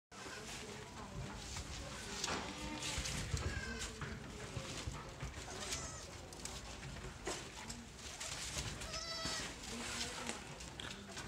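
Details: Young Sojat and Totapuri goat kids of a new lot on a goat farm in Pune, bleating in short, wavering, high cries scattered throughout amid a busy, noisy background with other kids calling.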